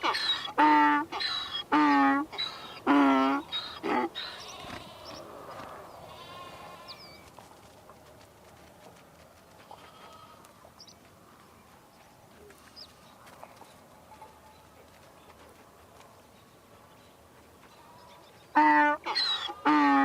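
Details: Donkey bray: a run of loud, rasping alternating hee-haw pulses over the first four seconds, then a long quiet stretch with faint distant calls, before the braying resumes near the end.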